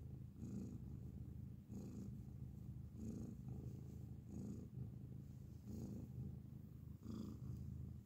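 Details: Up-close recording of a grey cat purring loudly: a deep, even buzzing rumble broken into breath cycles roughly every one to one and a half seconds, with short airy inhalation hisses between them.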